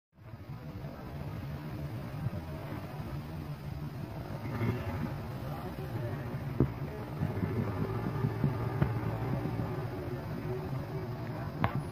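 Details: Steady low vehicle rumble and hum with faint distant voices and occasional clicks, no animal heard.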